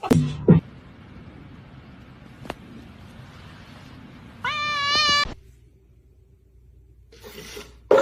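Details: Domestic cat from a funny cats compilation giving one drawn-out, rising then level meow lasting about a second, set against a steady low hum and faint background music, with brief knocks at the start and end.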